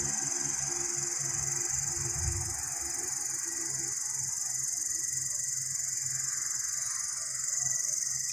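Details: Green and brown long-horned grasshoppers give a steady, high, hissing buzz that runs unbroken through the whole recording.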